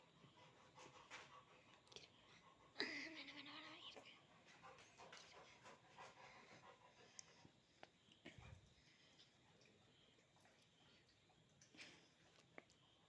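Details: Labrador Retriever at play with its owner, panting in soft, rapid breathy bursts, a brief whining tone rising and fading near the third second, then quieter breathing with scattered handling noises indoors.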